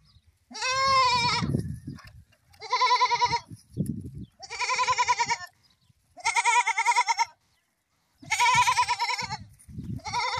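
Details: Goat in a funny farm scene giving a run of wavering, quavering bleats, about five long calls spaced every two seconds, each buzzy and trembling, with low rustling and shuffling between calls.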